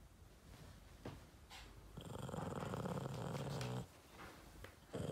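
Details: Boston Terrier named Yoda, unimpressed with his Christmas treat, gives a low rumbling grumble lasting nearly two seconds, with a steady buzzy drone underneath, after a few soft clicks and snorts indoors.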